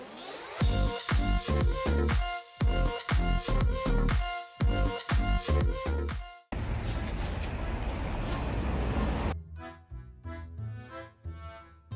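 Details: Dance music with a steady beat and synth chords, then a burst of noisy sound and a thinner rhythmic section; no animal voices stand out.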